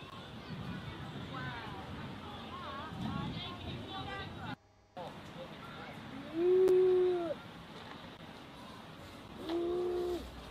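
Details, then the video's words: Red deer stag in Bushy Park, London, UK, bellowing: two loud, drawn-out tonal calls that arch up and fall away, the second about three seconds after the first, with people talking in the background. "Red Deer Stag Bellowing in London"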